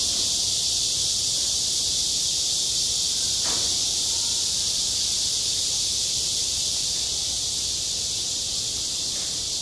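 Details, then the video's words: On a school playground in midsummer, cicadas keep up an unbroken, high, sizzling buzz. A single short knock sounds about three and a half seconds in. "한 여름 운동장에서 매미가 울고 있다 - 여름의 소리, 학교 종소리, 매미 울음소리"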